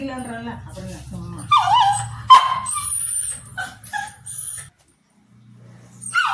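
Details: A white Pomeranian gives high, sharp yips and whining barks, apparently reacting to his owner seeming to be at risk, with a person's voice mixed in.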